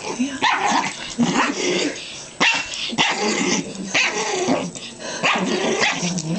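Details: Two pet dogs, a Pomeranian Chihuahua mix and a Jack Russell Terrier, wrestle playfully on a bed; snarling growls and short barks come in bursts roughly every second, with thumps and rustling between them.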